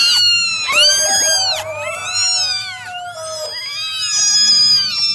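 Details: Several of nine domestic kittens meowing at once during their morning drying: long, piercing, overlapping mews form a continuous, wavering chorus with no pauses.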